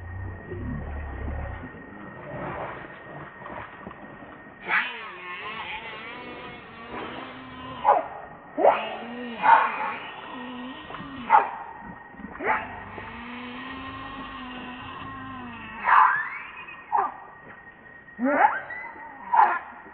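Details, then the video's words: Baby monkey RainBoww crying to its mother for milk: wavering, whiny tonal cries that rise and fall, some drawn out over a second or more, others short sharp bursts every second or two, over a steady low hum. "Baby Monkey RainBoww Asking Milk Mom"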